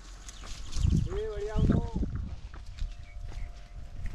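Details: Sheep herd with its shepherd at Venukallu gudda, Hiriyur taluk, Chitradurga district; one wavering, rising-then-falling bleat of about a second, over nearby speech, low rumble and footsteps.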